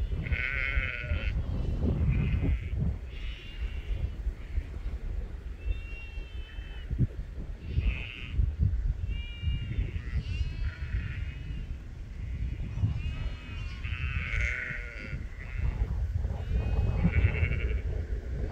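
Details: Sheep bleating repeatedly, several animals giving short quavering calls of different pitches across the recording over strong low wind rumble.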